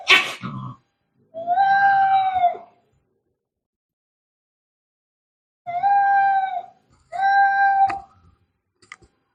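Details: Cat fighting sounds, angry: a sharp noisy burst, then a long wavering yowl, a long silence and two more nasal drawn-out yowls close together, ending with faint clicks.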